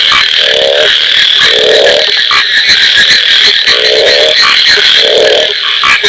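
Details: A frog in the rainy season gives short, pulsed, rattling croaks about every second and a half over a steady insect chorus.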